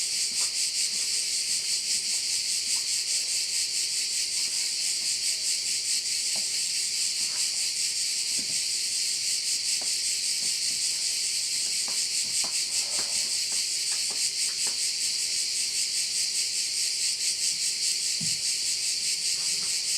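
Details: A bay on Korčula, Croatia, rings with crickets: a thick, shrill, rapidly pulsing insect drone that never pauses. Scattered soft clicks and ticks sound in the background over a low steady hum.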